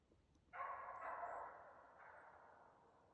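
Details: Stella, a Norwegian Elkhound hunting dog, barks at a yearling moose cow that will not stand after driving it for a couple of hours. One loud, broad bark rings out and trails into a long, fading echo over a quiet forest background.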